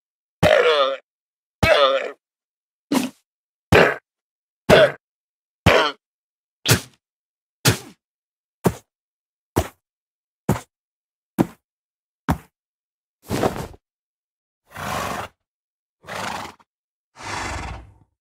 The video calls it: Llama Sounds Part 2